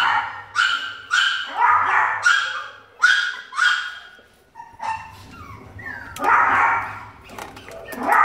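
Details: A happy blind Chihuahua at an animal shelter gives a run of short, high, yappy barks, five in quick succession, then a pause with a low hum before more sharp barks.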